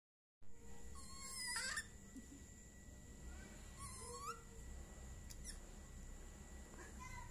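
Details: A rescued baby proboscis monkey drinking milk gives thin, whiny squeals that rise and fall, over a steady electrical hum.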